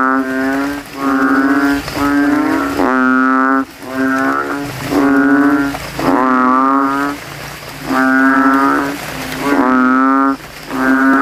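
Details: Male banded bullfrogs, known locally as kodok kintel, calling after nightfall following rain in a cemetery puddle, contesting loudness; rhythmic series of droning, buzzy honks, each under a second, with short pauses between.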